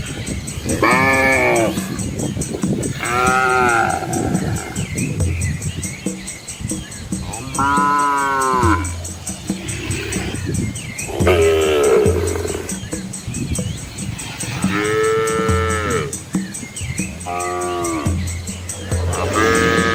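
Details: Herd of Asian village cows with calves walking a quiet countryside road past lush rice fields; a steady series of arching, harmonic moos roughly every two to three seconds, mixed with low lowing and a continuous high-pitched electronic-like hum.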